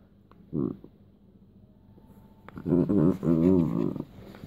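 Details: A West Highland White Terrier being tickled gives one short low burst, then, after a quiet pause, a longer run of wavering, rich grumbling moans that rise and fall for about a second and a half.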